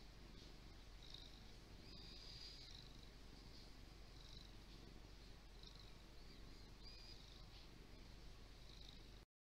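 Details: Big fluffy house cat named Lee purring, a steady low rumbling drone held for about nine seconds, with light rustles, ending abruptly.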